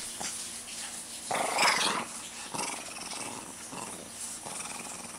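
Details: A Shih Tzu releasing pent-up energy growls in rough, noisy bursts; one longer, louder snarl swells in the middle, followed by shorter grumbling pulses.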